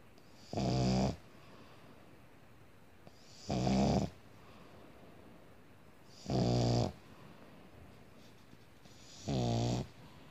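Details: Sleeping pug dog snoring indoors: four loud, rough, broadband snores, each lasting about half a second and repeating roughly every three seconds, with near silence between breaths.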